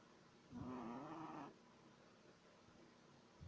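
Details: Snore from a sleeping Shih Tzu puppy three months old, described as snoring like a human. A single one-second buzzy, whistling breath wavers slightly in pitch, then gives way to quiet room hiss.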